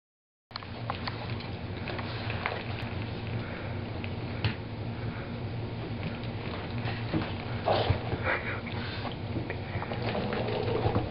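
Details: Fancy, a female Boston Terrier, just out of a bath she disliked, sniffing and snuffling indoors in a small room: a steady run of soft, breathy broadband bursts with a few sharper puffs near the eighth second.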